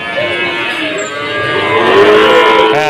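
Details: Cattle at a busy livestock market in Tuban, Indonesia, during a foot-and-mouth disease outbreak: a long, steady, harmonic moo that swells slightly in loudness toward the end, over a murmur of market noise.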